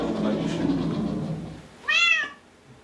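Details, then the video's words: Six-month-old Bengal kitten trying out a newly built cat wheel indoors: one short, rising-then-falling harmonic meow near the end, after background music and Polish speech. "Bengal kitten"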